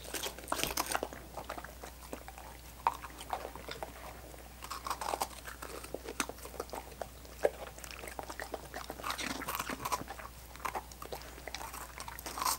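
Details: Dogs licking frozen coconut water popsicles: a steady run of wet, sticky smacks and tongue clicks, some louder crunching bites near the start and around seven seconds, over a faint constant low hum.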